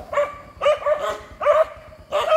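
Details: Dogs in a fight between a wild dog and a group of dogs, giving four loud harsh barks spaced about half a second apart, each bark short and rough with a bright tone.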